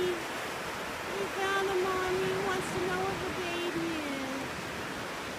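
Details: A mother seal at Paradise Cove gives a long, wavering, moaning call to her pup over steady surf.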